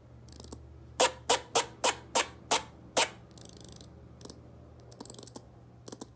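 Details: Rocket the squirrel giving its first bark: seven sharp, broadband clicking barks spaced about a third of a second apart, with soft higher chirps before and after over a steady low hum.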